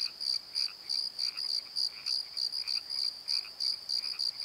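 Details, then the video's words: Nighttime crickets in a valley bottom near the Pozo Night Tree, bright high chirps in quick pulses about three each second, over a softer lower croaking pattern. "Crickets and Croaks!"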